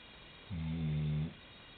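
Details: Chocolate Labrador Retriever, a 90-pound female, asleep at the end of a bed, recorded from a pillow nearby; a single low rumbling snore lasting under a second over quiet room hiss.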